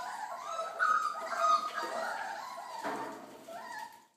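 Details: Four-week-old Belgian Malinois puppies from a litter of ten (eight males, two females) born on 8 November 2013. High, wavering whines rise and fall, mixed with short yips. Several pups overlap in a steady chorus that fades at the end.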